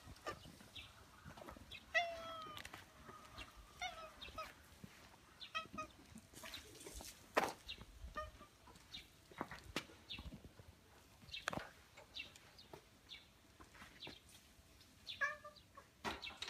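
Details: Greeting meows from stray ginger tabby cats waiting to welcome a person near a home in a residential area; scattered short, tonal calls repeat through the stretch, mixed with clicks, footsteps and handling noises.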